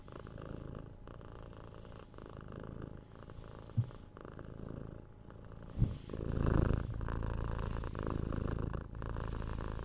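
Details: Binaural recording of a 6-month-old kitten purring while cuddled and patted: a low, rhythmic rumbling purr, broken by two sharp bumps of handling and a louder rustle of movement near the middle.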